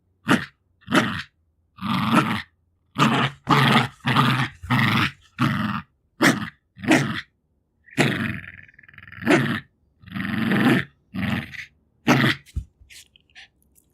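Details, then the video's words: Jack Russell Terrier, two years old, female, growls over her favourite toys amid breathing, licking and sniffing; choppy series of gravelly growl bursts, roughly every half second, later a longer breathy stretch. "Dog Growling like a Gremlins"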